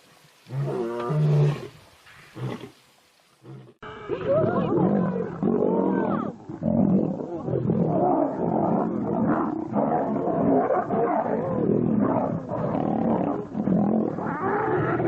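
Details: Lions fighting: one deep moaning roar, then a continuous, loud tangle of harsh snarls and growls from several animals, with people speaking excitedly nearby.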